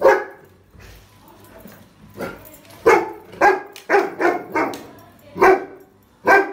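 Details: Rottweiler puppy barking at a trolley bag: a volley of loud barks, several in quick succession, with uneven pauses and a last sharp bark after a short gap.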